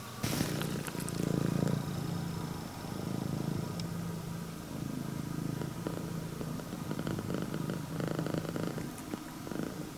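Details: Engine-like purring from a female prick-eared Scottish Fold, red tabby and white, welcoming its owner; steady deep rumble with breathing swells and a few faint clicks and rustles.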